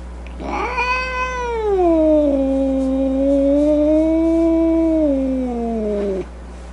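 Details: Domestic cat giving one long drawn-out yowl of nearly six seconds, rising sharply, dipping, then holding a steady wavering tone before a falling end, with rich harmonics and a faint low hum underneath.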